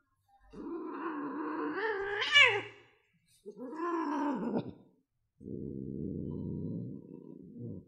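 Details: Cat giving two long, wavering, drawn-out yowls that swell and rise in pitch before breaking off, followed after a pause by a rough, noisy hiss-like burst lasting about two seconds.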